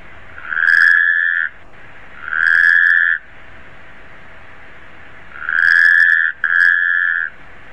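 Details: Taipei tree frog calling: three to four loud, even, tonal notes, each about a second long and steady in pitch, separated by quiet pauses of one to two seconds. The last note is split by a brief break, over faint background hiss.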